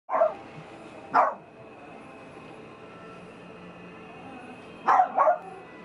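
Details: Teacup-size Maltipoo, a female puppy: two short, sharp yips about a second apart, a long pause, then a quick double yip near the end, over a faint steady indoor hum.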